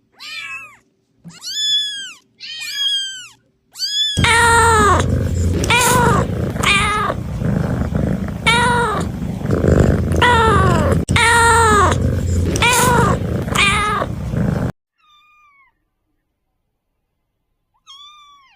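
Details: Kittens meowing: a run of high, thin, arching meows in quick succession, then a long stretch where the cries continue over loud rumbling, crackling background noise, ending with a few faint, short mews after a near-silent gap.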